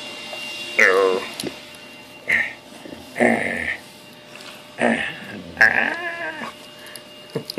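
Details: Bravo, a pet Bulldog, playing indoors on 8/20/13: a series of short grumbling, whining vocal bursts with wavering tones, about five over seven seconds, separated by quiet gaps in a small room.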